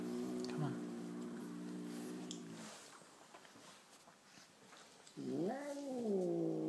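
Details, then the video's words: Chocolate-coloured Persian cat, described as quite angry, giving a long steady low moaning growl, a quieter gap, then a rising and falling wailing yowl at the end. "Gato Persa enfadado - Angry Persian cat"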